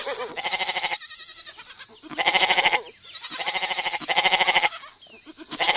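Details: Goats bleat repeatedly, each call a quavering, nasal, tremulous cry lasting under a second, several voices following in quick succession.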